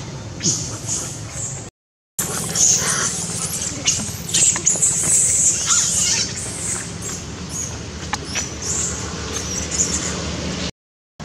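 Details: Little monkey Beving cries loudly and scared after a strong bite from another monkey, A Rey: shrill, high squealing cries in bursts, loudest in the middle, over a low background rumble.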